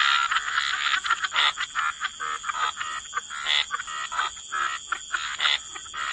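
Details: Frogs croaking together by the waterside in a wetland, a dense chorus of overlapping raspy, pulsed croaks in short bursts, with a steady high-pitched hiss running underneath.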